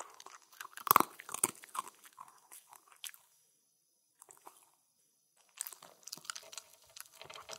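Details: Spencer, a Shetland Sheepdog, eating a Halloween meal of pumpkin, seaweed, kibble and yogurt: crisp crunching and chewing bursts, a quiet pause of about two seconds midway, then steady crunchy chewing resuming.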